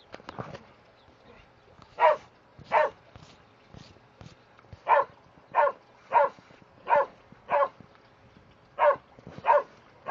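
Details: Excited barking from Border Collies Starbuck and Trixie while playing in sprinklers: about a dozen short, punchy barks in quick succession, roughly two per second in bursts, with a faint hum behind.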